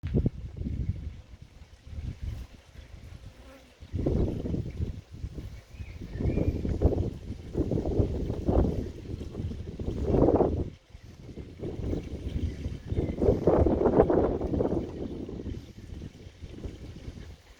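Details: Western honey bees buzz in swelling, uneven bursts as scouts fly close around a swarm trap on day one of major scout activity, getting frantic around the door, with wind rumbling underneath.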